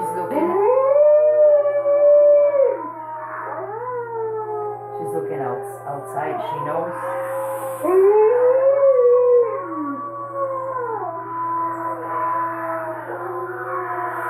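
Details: Female Alaskan Malamute howling along while watching wolf videos on a computer: long wavering howls that rise, hold and fall, overlapping recorded wolf howls, with a woman speaking between them.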